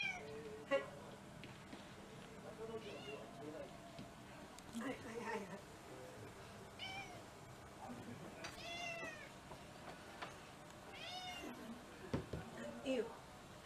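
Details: House cats from a six-cat mixed-breed home during a special Cat Day evening meal, February 2023, give repeated arched meows several seconds apart, some long and wavering, with soft talking and clatter behind.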